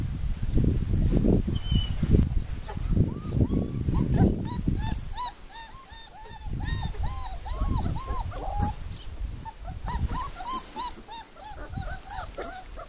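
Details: Four-week-old puppies of the Formule 1 / Callie litter at Le Domaine des Pertins, giving a steady stream of high, arched whimpers and squeals, several per second, over low thumping and rustling handling noise.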